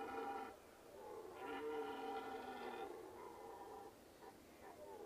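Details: Red deer roaring: a series of moaning, harmonic-rich bellows, the longest about a second and a half, with slightly wavering pitch and short trailing grunts, all fairly quiet against a hissy background.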